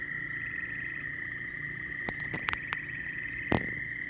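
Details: Frog. Many frogs call together in a steady, high-pitched chorus that blends into one continuous pulsing trill. Several sharp clicks or taps cut through it near the end.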